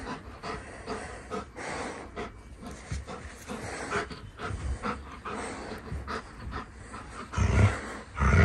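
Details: Golden Retriever named Kokoro, a young male born January 9, 2020, playing tug-of-war with a rope toy indoors: rough rhythmic panting and huffing breaths, with tugging scuffles and a few louder thumps near the end.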